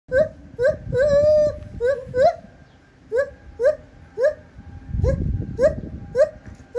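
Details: Singing lar gibbon filmed at Japan Monkey Center: a series of rising hooted notes, about two per second, with one long sustained wavering note and a shift in voice partway through; some low rumbling noise.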